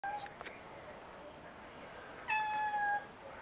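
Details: Domestic cat talking indoors: a brief high meow at the start, then a longer, steady, even-pitched meow near the end, with quiet room hiss between.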